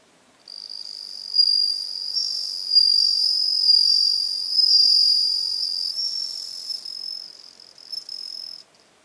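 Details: Bell cricket on 17 September 2021: a high, tinkling sustained trill with pulsing loudness lasting about eight seconds, ending with a brief short note; no other sounds.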